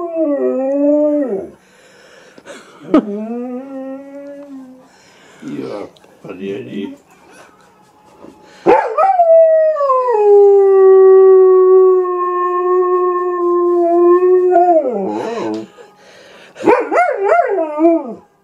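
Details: Silva, a German Shepherd that howls whenever an animal shows up on TV, gives short wavering howls and yips, then a long held note that slowly falls over several seconds, followed by choppy rising-falling yelps.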